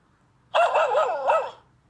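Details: Dachshund puppy with a tablet lets out one wavering, yelping bark-howl about a second long, its pitch wobbling up and down with a brief upward flick near the end; no other sounds.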